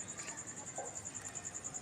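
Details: A cricket at night keeps up a brief stretch of high, evenly spaced pulsing chirps, with a faint lower sound briefly audible midway.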